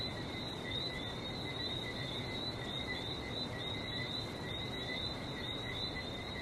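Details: In Barbados, a steady, shrill chorus of frogs trills continuously at a high pitch over the low roar of surf.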